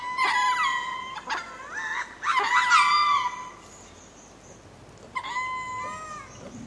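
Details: Ring-tailed lemur going to roost at Berenty Reserve, Madagascar: loud mewing spacing calls in a quick cluster of wavering, overlapping cries, a pause, then one final long falling wail.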